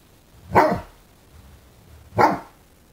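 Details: A 5-month-old fawnequin Great Dane puppy, learning to use his voice, gives two sharp, separate barks about a second and a half apart at a new candlestick in the window that he dislikes.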